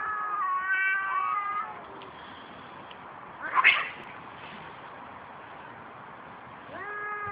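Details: Fighting cats: a quavering, harmonic yowl at the start fades out, then a sharp explosive hiss or spit bursts out midway, and another rising yowl begins near the end.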